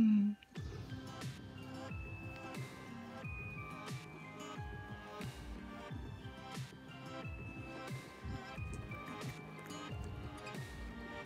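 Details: Quiet music of plucked and chiming tones plays throughout with soft tapping, and no animal sound is heard.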